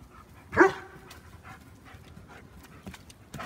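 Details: German Shepherd named Max giving a single short, strong bark early on, followed by low background rustle and faint scattered clicks.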